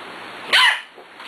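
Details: Six-week-old puppies at play, including Cat, Kobe and a little female from the Ellie and Little Man litter, alongside Beauty; one sharp, high yipping bark with arching overtones rises out of a quiet room hum.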